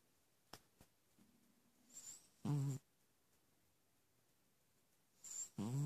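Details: Persian cat snoring indoors: two loud, rough breathy snores about three seconds apart, with faint clicks and a soft brief hum between them.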